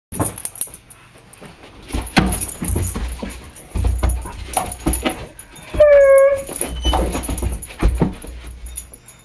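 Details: Pepper, a German Shepherd mix, whining while Tasha the Dutch Shepherd and Spartacus the Boxer Lab mix play with a laser pointer; one clear, drawn-out, tonal whine midway through, surrounded by scrabbling paws, thumps and clatter.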